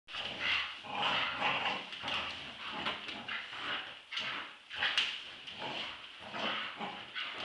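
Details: Two Staffordshire Bull Terriers, Roxy aged two years and Ralph aged eight months, play-fighting in a tug-of-war game indoors. Dense, rough bursts of growling and snarling rise and fall every half second or so.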